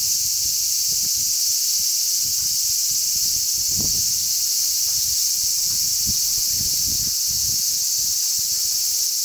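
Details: A crowd of large brown cicadas chirps on a zelkova tree on 3 August 2010 in strong sea breeze. A continuous, even, high-pitched sizzle fills the whole stretch, with short low thumps of wind buffeting repeatedly.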